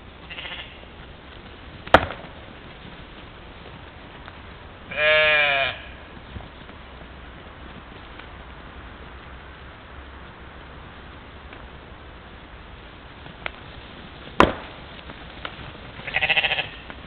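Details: Mouflon herd at a morning waterhole in Czempiń forest district, Wielkopolska, Poland, recorded by a trail camera on 13 July 2018; a clear wavering bleat near the middle, a fainter one at the end, with scattered sharp clicks and long hissy gaps.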